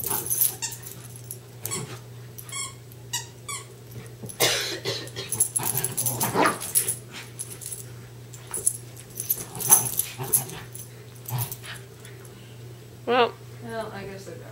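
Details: Two westies, Darby and Riley, playing tug of war inside; repeated short growls and rough huffs, a brief high whine near the end, and a steady low background hum.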